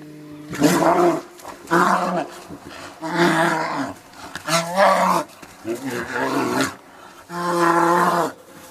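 A brown bear gives a series of loud, voiced moaning roars, each about a second long.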